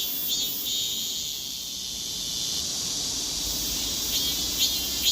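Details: Korean cicada moving about as it sings: a steady, shrill, high-pitched buzz fills the whole stretch, with a few brief louder pulses near the close.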